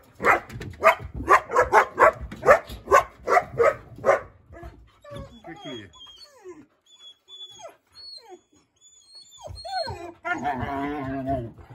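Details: East European Shepherd puppies bark at a husky in a steady string of sharp, repeated yaps for four seconds. Quieter whines follow, along with thin musical tones and a woman speaking.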